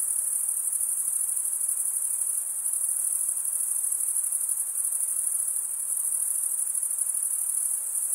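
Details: Crickets, males stridulating by running one wing along the toothed vein of the other, make a dense, steady, very high-pitched shimmering trill that continues without pause across the whole stretch.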